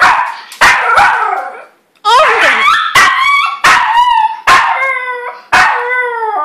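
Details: A crying, 'singing' dog gives a series of short yelping howls, each with a falling, harmonic tone, about one per second, after a louder opening bark-like burst.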